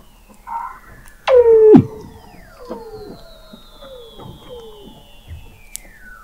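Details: Weddell seals below the sea ice at McMurdo Sound, Antarctica, recorded in November 2017 by an underwater observatory 21 m down: a loud abrupt downward swoop, then a series of falling chirps and a long high descending whistle.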